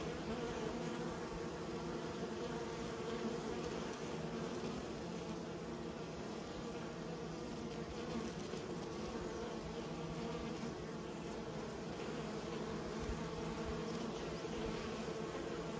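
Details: Steady, low buzzing of kept honey bees runs without pause, a thick droning hum of many wings at even volume from start to finish.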